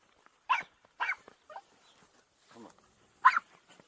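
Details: Farm dogs playing on a rain-soaked property, filmed on an Insta 360 EVO: three short, sharp barks, two close together near the start and one louder bark after a pause, with a person talking quietly between them.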